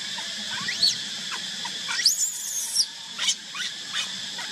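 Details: Baby monkey alone without its mother, crying in rising and falling shrill squeals, one long trembling scream in the middle, then short sharp yelps roughly every half second, over a low hum.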